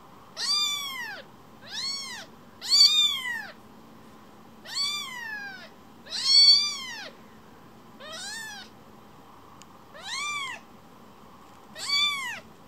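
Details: Baby rescue kitten that leaves its carer then returns to be stroked: loud, repeated high arched meows, about nine in thirteen seconds, some doubled in quick pairs, over a faint steady hum.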